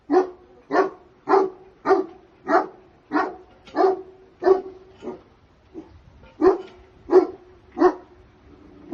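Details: Dog barking at a puppy sale in India: a steady run of about a dozen sharp, mid-pitched barks, roughly one every 0.6 seconds, with a short gap near the six-second mark before the barking resumes.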